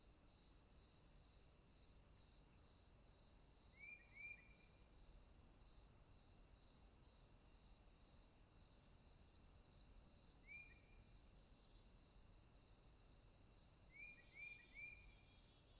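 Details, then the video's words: Swamp crickets at night keep up a thin, continuous high trill that beats in even pulses, while short rising chirps break in three times, a single chirp and two quick clusters of two or three. "Night Ambient Sounds, Crickets, swamp sounds at night."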